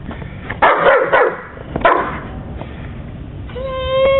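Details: German Shepherd, one of two dogs playing in the first snowfall of the year, gives two loud, rough barks about a second apart, then a short rising whine at the end, over a steady crunchy background.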